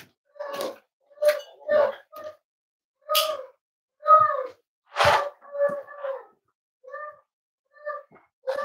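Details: Cavalier King Charles Spaniel puppies almost eight weeks old, kept in a family home: a run of short, tonal whimpering yips with clear overtones, roughly one per second, some louder and breathier bursts mixed in, indoors with little background noise.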